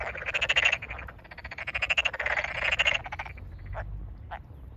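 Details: Close Tokyo Daruma pond frog calls from a flooded rice field chorus in rural Japan, May 2022: three rapid rattling trains of pulses, each under a second, followed by two brief isolated croaks as the calling fades.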